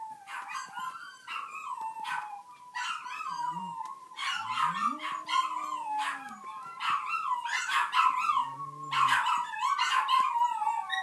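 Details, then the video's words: Small puppy howling in a sustained series of quavering, high-pitched yelps that bend up and down, coming several times a second. Lower, smooth, arching tones sound beneath them in brief stretches. "My little puppy's or howling"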